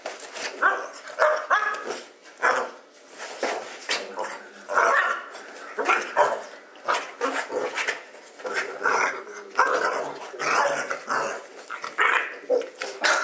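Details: A dog named Buddy, at home and going crazy in his bed, gives short repeated barks and yips in quick bursts, with rustling between them.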